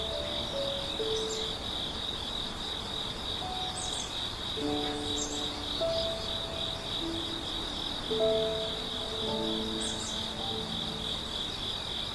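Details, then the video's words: Grass insects in a forest at Hundred Years Valley, Yeongwol, in the morning: a continuous high, shrill drone holds steady throughout, with a few brief chirps above it and soft, sustained musical tones drifting underneath. "아침 숲속에서 들리는 풀벌레소리"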